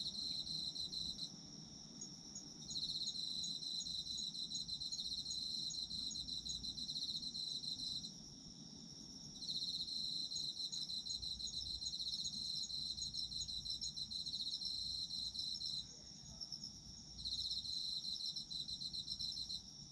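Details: Autumn insects calling at night for sleep listening: bursts of high ringing trills lasting several seconds, broken by short pauses around eight and sixteen seconds, over a quiet low background hum.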